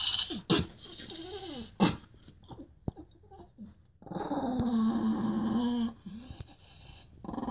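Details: Chihuahua named Scoobie at bedtime, being told to go to bed, answers with a few short grumbling sounds, then a sustained harmonic growl-whine lasting about two seconds; a person's voice and handling noises are heard.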